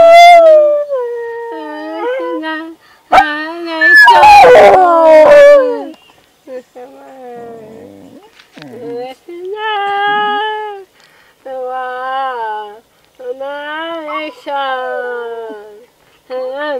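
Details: A vocal pet rat terrier, a male, howls along during a practice session. Long tones swoop and wobble in a series of separate phrases, with brief yips, a loud noisy burst near the middle and music underneath.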